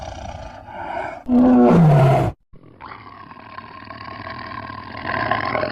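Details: An angry Bengal tiger gives one loud, deep roar lasting about a second that slides downward in pitch. A brief silence follows, then a quieter steady rumbling background.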